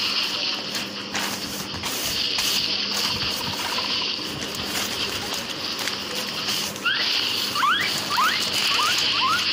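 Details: A pet guinea pig, one of two about 2 years old kept in a backyard, gives a quick run of short, rising squeaky wheeks after some rustling.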